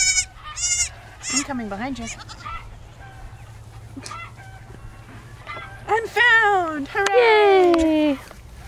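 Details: Lost baby goat searching for its mother, giving scattered quavering bleats that end in longer falling cries, mixed with other short animal calls and background noise.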